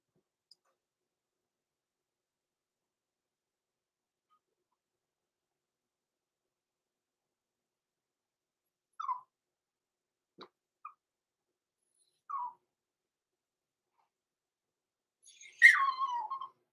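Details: Six-week-old blenheim Cavalier King Charles Spaniel puppies, Roman and Blue, born November 14, 2022, overnight in an indoor puppy pen: long silence, then a few brief, soft descending whimpers and a click, ending in a louder drawn-out falling whine.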